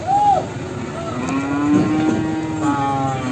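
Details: Simmental cattle at the Sragen livestock market, Indonesia, around ten in the morning: a brief high bleat-like note, then a long, flat, low moo stretching about two seconds amid traffic-like rumble and voices.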